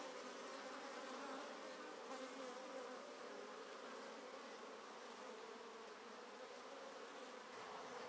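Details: Many honey bees and drones active at the entrance holes of an untreated top bar hive colony; a thick, continuous droning hum with a slight rising and falling intensity.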